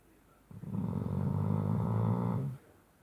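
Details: Loud, funny snoring from a Shar Pei pup asleep on the bottom of a bed: one long, low, rasping snore lasting about two seconds with a steady rumbling texture, quiet before and after.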